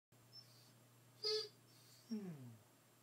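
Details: A Basset Hound gives short, high whimpers, the second sliding into a drawn-out whine; the owner says he does this constantly unless asleep, sometimes sounding like sobbing.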